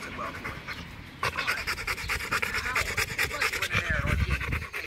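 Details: Rottweiler named Macho panting rapidly while playing fetch, quick rhythmic breaths over two per second, a steady breathy pulse running through the whole stretch.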